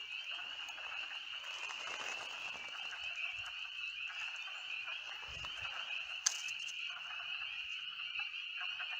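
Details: A dense chorus of spring peepers in woods by a filled-in pond in Connecticut, high piercing peeps blending into a continuous ringing wall of sound.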